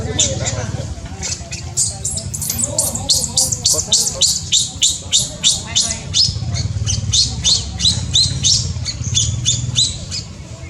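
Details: Cambodian newborn monkey, born in tall trees, crying in a rapid, insistent run of piercing squeals, roughly three each second, after a few lower wavering notes at the start, over low background rumble.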